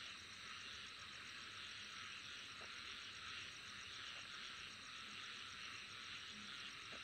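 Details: Insects keep up a dense shrill drone with quick regular pulsing overtones, unchanging in level, while faint low short notes surface now and then beneath.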